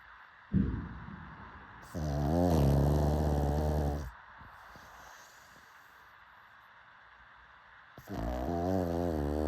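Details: Sleeping pug giving a short snort, then a deep, buzzing inhaled snore lasting about two seconds, a quiet pause with soft breathing, and another rumbling snore starting near the end.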